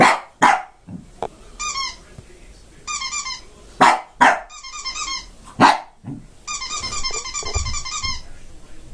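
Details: Pet Shih Tzu barking indoors: sharp, loud barks, mostly in quick pairs, spaced a few seconds apart, with repeated high, thin chirping squeaks filling the gaps between them.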